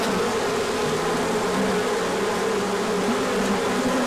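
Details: A crowd of bees in a large orientation flight on a sunny day after cold weather, 24 March 2024; thick continuous droning hum with several overlapping wingbeat tones sliding up and down.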